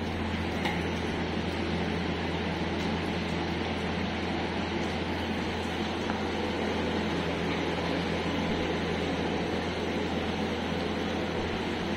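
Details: Constant broadband mechanical hum like an air conditioner or fan runs throughout, with no animal sound.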